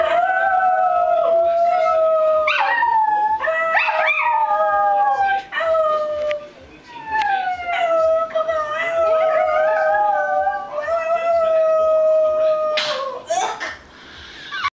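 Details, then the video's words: Two pet dogs howling in chorus: overlapping long tonal howls that slide downward at their ends, several phrases in a row, with a few sharp clicks and rustles near the end. "Dillon and Koko Howl"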